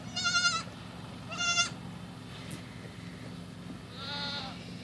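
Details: Baby goat, a female kid, playing by leaping onto a tree stump and dashing about; two loud, quavering, harmonic bleats about a second apart, then a softer, hoarser third bleat, over a faint low background hum.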